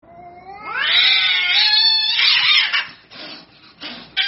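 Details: Domestic cats in a street fight: a long rising harmonic wail swelling into a loud, strained yowl that holds for about two seconds, then breaks into ragged bursts and fades.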